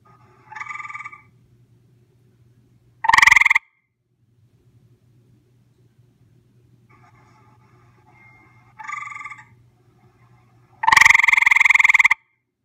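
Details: Gray treefrog visiting, recorded close up: loud, rapid pulsed trills in four bursts lasting about half a second to over a second each. Two of the bursts are much louder than the others, with a low steady hum between them.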